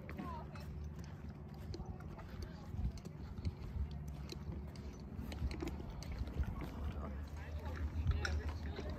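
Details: Green Thoroughbred mares, ex-racehorses retired from the track in September, schooling over jumps away from home on about their fifth time jumping; irregular dull hoof thuds over a low steady rumble, with a woman's voice talking and praising nearby.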